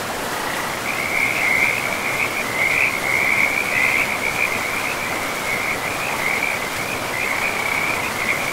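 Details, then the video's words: ['Frogs by a river deep in a pristine forest with moss-covered land. A steady, high trilling chorus runs almost without a break across the whole stretch, above the constant rushing hiss of flowing water.'] "River and Frogs sleep sounds"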